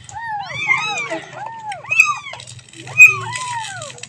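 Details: Kitten calling for its mother: a rapid stream of overlapping high, arching mews that rise and fall, some shrill peaks near the end, over a low rumbling hum.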